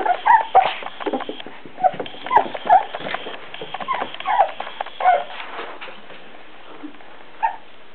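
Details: Four-week-old Beagle puppies give high, thin whimpers and squeaky yelps in short bursts, scattered through the recording with brief quiet gaps between them.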